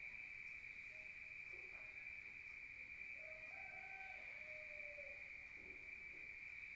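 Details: Crickets at night in a rural setting, heard from inside a room: a steady, unbroken high-pitched trill with soft, faint lower tonal notes drifting in and out behind it.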